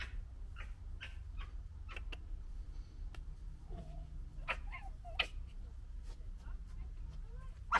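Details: Red fox cubs of the 2021 litter fighting: scattered short harsh chatters and clicks with a few brief high whines, fairly quiet against a low steady rumble.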